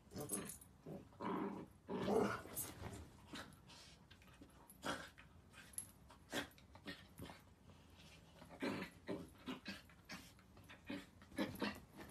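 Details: Miniature Dachshund growling and barking in short, rough, noisy bursts, scattered between sharp knocks and clicks, while people nearby speak Spanish.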